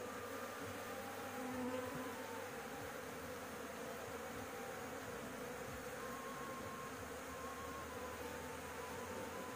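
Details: Roof-nesting honey bees disturbed while their honey is harvested, with cigarette smoke used to drive them away. A continuous swarm buzz with steady low tonal bands, a brief swell early on and faint higher whines drifting through.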